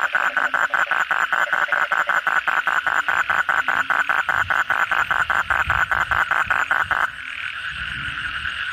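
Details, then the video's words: After heavy night rain, kodok bangkong frogs call: a strong, rapid series of knocking pulses, two to three per second, for seven seconds over a dense chorus with low thumps, then only the background chorus continues. "suara kodok bangkong pada gacor setelah hujan lebat malam hari"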